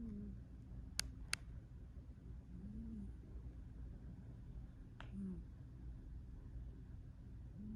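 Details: A sleeping cat snores softly indoors, with short low tonal breaths near 2.5, 5 and 7.8 seconds, plus a few sharp clicks early on, over a quiet room hum.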